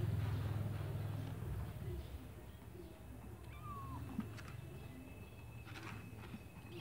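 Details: Kittens kept in a white bucket; a single brief, thin meow bending upward, faint against low rumble, with a steady high tone and scattered clicks and knocks.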